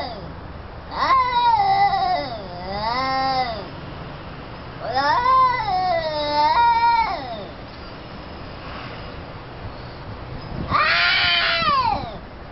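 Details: Two cats, one orange and one black, in a standoff fight; long drawn-out wavering yowls rising and falling, three bouts of several seconds each separated by short pauses.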